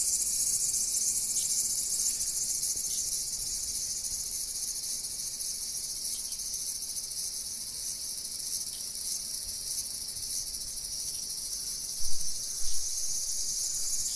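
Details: Cicada calling: a steady, dense, high-pitched hiss-like drone runs unbroken throughout, with faint low background rumble and a couple of brief soft bumps near the end.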